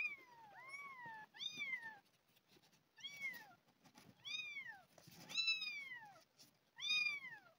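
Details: Two abandoned, hungry kittens found outside by a house and fed milk replacement; a rapid series of about six arched, rising-then-falling kitten meows, roughly one every second, with faint handling noise between.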